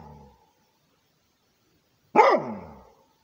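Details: A Rhodesian Ridgeback guarding its territory gives a single loud, falling bark after a soft tail of an earlier sound and two seconds of quiet.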